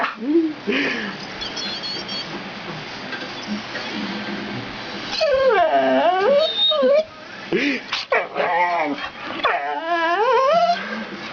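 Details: A pit bull dog, a female, freaks out when pointed at indoors and answers with high wavering whines and little yips that rise and fall, in bursts, while people talk and laugh.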